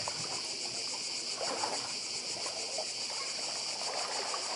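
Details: Cicadas sing in a continuous high buzzing chorus on Badija island in Croatia, near the sea, the shrill drone evenly pulsed throughout, with gentle trickling water below.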